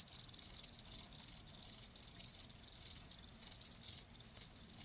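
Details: Crickets calling as a relaxing nature sound for tinnitus relief; bright high chirps in bursts roughly every half second, a dense overlapping chorus behind them, otherwise quiet.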